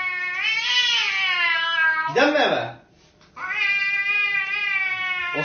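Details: Pet cat yowling in sustained, rising-then-falling meows, loud and steady, broken once by a brief noisy scuffle and a moment of silence before the wail resumes.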